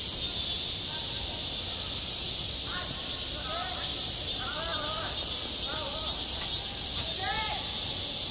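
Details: Cicadas singing on a school playground in high summer: a dense, unbroken high-pitched buzzing drone fills the whole clip, overlaid by short, arched chirping notes that repeat irregularly in the middle range.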